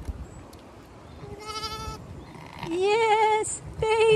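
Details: Zwartbles sheep bleating beside newborn twins, a ewe lamb and a ram lamb, with their mother, born out in a field under larch trees on a farm in County Kilkenny, Ireland. Three quavering, harmonic bleats: one faint, then a louder wavering one, then another.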